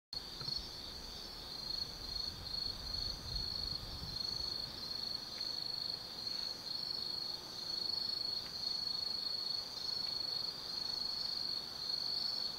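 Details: Autumn insects singing at night in the Tsukimi no Mori forest, Kaizu, Gifu, Japan, above the Nobi Plain: a steady high chirring chorus with pulsed trills layered over it, soft low background hum.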